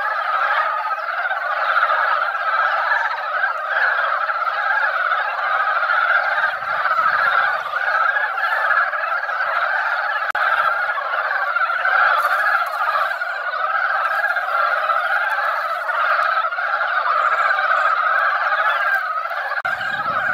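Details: Mountain frogs that came out after a light rain fill a quiet mountain pond with sound during their annual egg-laying time. A long, steady chorus of overlapping, pulsing croaks continues without a break.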